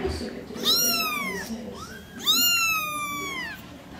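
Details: Two long, clear kitten meows sliding downward in pitch, with a brief softer chirp between them and quiet room noise behind.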